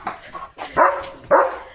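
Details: Leo, a pet German Shepherd with a new pipe toy, lets out two short, sharp barks close together, with a soft whine before them and a man's voice nearby.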